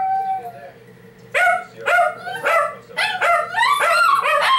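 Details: A small 12 lb Shih Tzu howls in loud, wavering bursts, each note rising and bending before breaking off.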